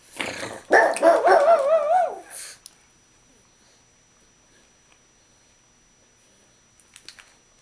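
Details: Pet dog at its owner's coffee table during a meal, vocalising while begging. It gives one drawn-out, whiny, wavering bark-howl lasting about two seconds, with the pitch bending up and down, then falls silent apart from faint clicks.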